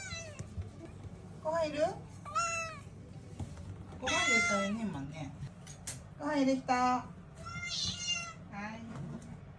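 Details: A string of varied meows from Mii-san, a talkative domestic cat answering at home: short chirpy calls, a long loud wavering cry around the middle, then quicker trilled and bending meows, with low room noise throughout.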